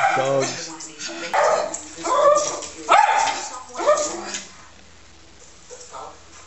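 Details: Woody, a pet Schnauzer, barking excitedly at animals on a television, several sharp barks over the first four seconds, then quieter; TV voices and applause underneath.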